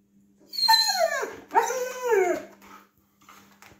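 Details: Siberian Husky named Baikal asking to go outside, giving two drawn-out vocal calls that slide downward, the second arching up then falling, like a spoken "mama", followed by a faint short sound; indoors, a steady low hum underneath.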